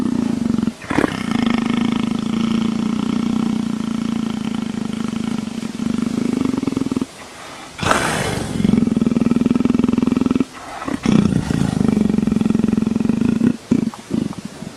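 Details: Long leopard purr rumbling like a motorcycle engine: a low, fast-pulsing drone held for about six seconds, pausing with a breathy rustle, then continuing in long even stretches with short gaps near the end.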